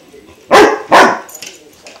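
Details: Klaus, a 5-month-old German Shepherd puppy, barks at his new water buffalo horn: two loud, harsh barks about half a second apart, followed by a faint rustle in a quiet room.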